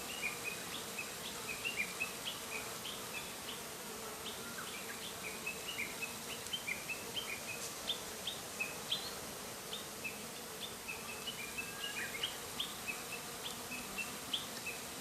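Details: Japanese honey bees, unsettled by bonfire smoke flowing toward their hive, buzz around the entrance before calming and returning inside. A steady droning hum carries many brief high chirps repeated throughout.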